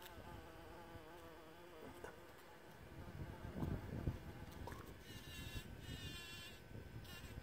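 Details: A bumblebee on a John Davis Explorer rose in Grande Prairie, Alberta, Canada buzzes with a low, droning hum that wavers in pitch as it moves.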